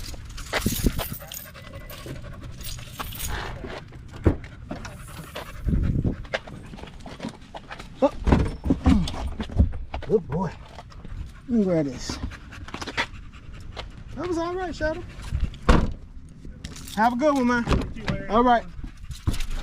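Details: Male Staffordshire Bull Terrier with other male dogs at the park in the evening. Rapid panting gives way to short, wavering whines and a sliding moan. Low background rumble and scattered knocks continue throughout.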